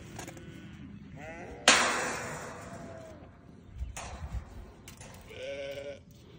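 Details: Short bleats from newborn lambs come early and again near the end. A sharp clattering knock breaks in between them, followed by softer thuds.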